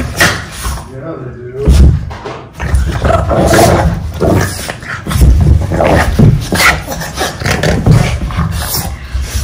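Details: Boston Terriers play fighting indoors on a rug: deep, drawn-out growling and throaty roars in repeated surges, with panting and scuffles, faint music in the background.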